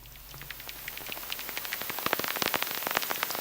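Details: Bat echolocation calls, ultrasonic sounds used to orient in space, converted by technology into the human hearing range: a quickening series of dry, sharp clicks over a faint hiss.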